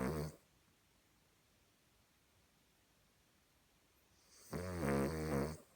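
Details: Cavalier King Charles Spaniel asleep and snoring in a humanlike way: one short rasping breath at the start, then silence, then a longer rattling, throaty snore near the end.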